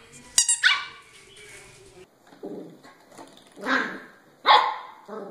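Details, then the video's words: Puppies barking: a sharp, high yap at the start, followed by lower, rougher barks spaced about a second apart, with faint background noise. "Puppies Barking"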